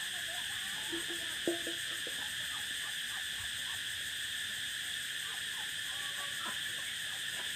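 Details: Cicadas singing on the prairie, a continuous, even, high-pitched drone that holds without a break, with a few faint, short chirps and clicks scattered lower beneath it.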